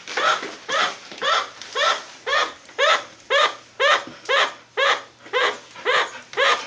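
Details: A chinchilla, just woken and probably calling a warning about the dog, gives a steady run of short, nasal barking honks, about two every second.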